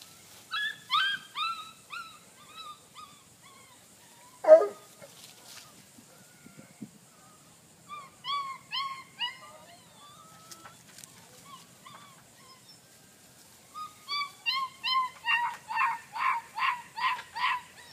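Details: Two young male puppies recorded on 8-26-2013: bursts of high, thin whimpering whines come in short groups, then a quick run of sharp yips near the end, with a man softly coaxing them.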